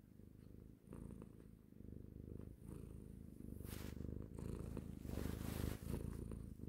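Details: Domestic cat purring close up, a deep continuous rhythmic rumble pulsing in and out, growing slightly louder toward the end, with a few faint rustles.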